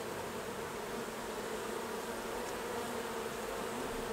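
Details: Honey bees at their hives during a honey harvest: a dense, unbroken buzzing hum that stays steady from start to finish, with no voices or other sounds.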